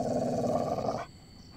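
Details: Pet Labrador in India growling at night as its owner tries to bring it home; a sustained, throaty rumble lasting about one second, then stopping abruptly into quiet.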